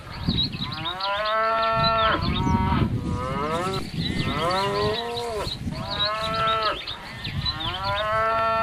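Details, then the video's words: Cow mooing in a string of drawn-out, harmonic calls that rise then sag in pitch, several overlapping or following closely, over a steady low rumbling background. "Beautiful birds and animals sounds and videos like pig, elephant, horse, cow, chicken, monkey"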